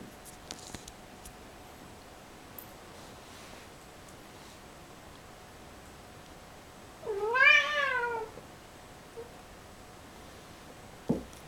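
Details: Kissel the cat, a domestic cat described as having suppressed sexuality, lets out a single drawn-out meow, rising then falling in an arched tone, in an otherwise quiet indoor room with a faint steady hum and a click near the end.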